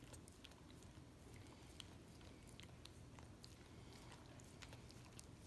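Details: A Miniature Australian Shepherd licking peanut butter off a foot, with soft, wet smacking clicks coming in quick irregular bursts over a steady low hum.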